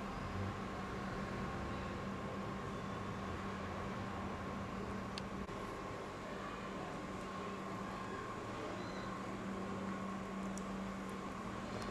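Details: Steady indoor mechanical hum with a low drone and faint clicks; no animal sound present.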